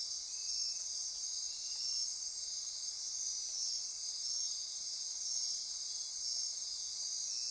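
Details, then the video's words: Dense nocturnal insect chorus at midnight in Costa Rican rainforest near Corcovado National Park, Osa Peninsula; a steady high shimmering band of trilling and buzzing, gently pulsing in loudness, with no other clear sounds. "Midnight Insect Chorus"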